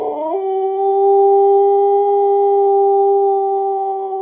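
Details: Siberian Husky puppy giving a long, pure, level howl after a brief upward slide at the start, held steadily at constant pitch with rich overtones.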